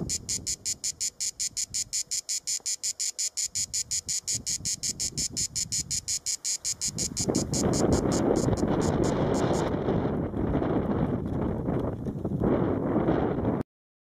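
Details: A cicada sings a high, buzzy song from a tree trunk in the Sierra de Guara near Alquézar, Huesca, in July, pulsing about six times a second before fading under wind rumble.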